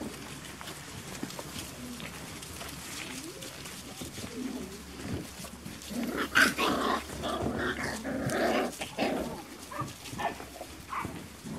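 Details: Five-week-old Beauceron puppies, a litter from a breeding kennel, awaiting feeding; a busy chorus of high whines, yelps and squeaks overlapping, swelling louder in the second half, with some low growling underneath.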